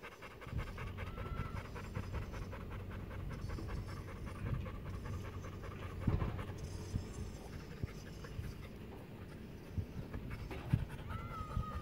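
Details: Rapid rhythmic panting from Madruga, a gentle pet pit bull in Maceió, Alagoas, breaths pulsing evenly for nearly twelve seconds over a low droning hum, a brief faint high tone near the start and end.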